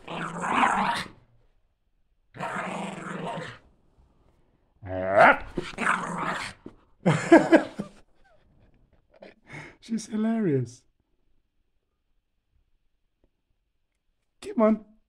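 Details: Border Terrier Leeloo, a female, playing indoors while hopping from side to side: rough, throaty growling bursts lasting about a second each, separated by short pauses, with a few higher tonal whines between and people talking and laughing nearby.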